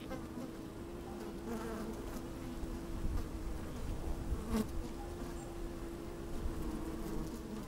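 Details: Busy honey bees inside an opened hive on a sunny, slightly windy day, recorded with a microphone lowered among the frames; continuous low humming drone with a steady pitched tone, occasional soft knocks and rumble.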